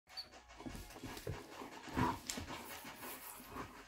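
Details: Akita dog in Israel panting while playing with a little fox, quick breathy puffs in an uneven rhythm over a soft background, with a few faint knocks and rustles.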